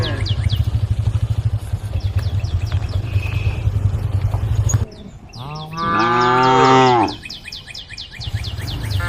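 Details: Cows roaming a road with their herd, one giving a loud, strained, wavering moo of about a second and a half. Before it, a pulsing low engine-like rumble and scattered high chirps are heard.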